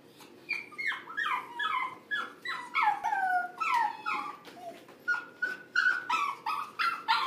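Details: Corgi whimpering: a rapid string of thin, high whines, each sliding downward in pitch, overlapping and uneven, some rising to sharper yips near the end.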